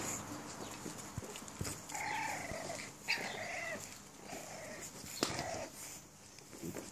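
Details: Six-week-old puppies of a litter rocking on a puppy swing give short, high, thin whines in several drawn-out bursts, separated by clicks and knocks, over a steady low room hum.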